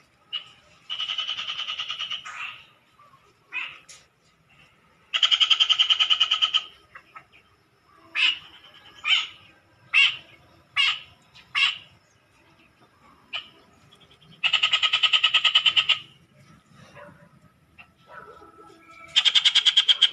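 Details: Frogs calling noisily: loud, rapid pulsed trills lasting one to two seconds alternate with short single croaks in quick succession, separated by brief quiet gaps, over a faint low background hum.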